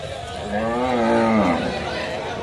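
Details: Large cow being unloaded, mooing amid a crowd: one drawn-out lowing call, rising then falling over about a second, with loud chatter and voices all around.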